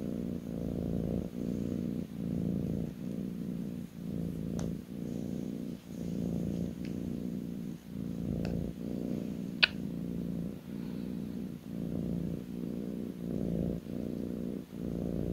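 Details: A kitten lying on its owner's lap purrs continuously, a deep vibrating rumble rising and falling in even breaths under a second apart, with a few small ticks and snaps in the background.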